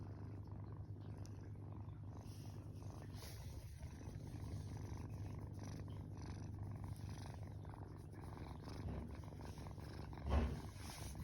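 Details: Rescued tortoiseshell kitten on its 21st day in care, sleeping with paws raised overhead; steady low rumbling purr throughout, continuous and even, with a brief soft bump near the end.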